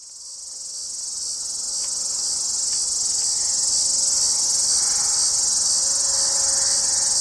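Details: Hadoa duryi cicada, formerly Tibicen duryi, singing from deep inside a juniper cluster south of Walsenburg, Colorado, on July 2, 2012 at 2:38 pm under newly overcast skies; a continuous high, hissing buzz swells in loudness over the first seconds, then holds steady.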